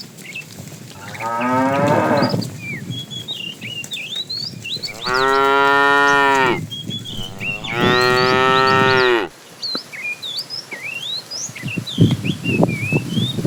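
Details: Cows being herded every morning to green grassy fields: three moos, a softer one followed by two loud, long, steady ones about two seconds apart, amid continuous bird chirping and twittering.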